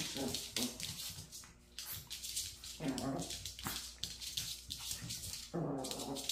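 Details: Maltese persistently chasing and biting at its own tail, producing brief growly grunts and whimpers every second or so, mixed with rustling, scratching and thumps of play.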